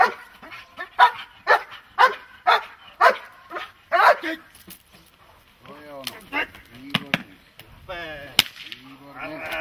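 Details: Dog in protection training, barking in a steady series of sharp barks about every half second, then a man's voice speaking over occasional further barks and a loud crack near the end.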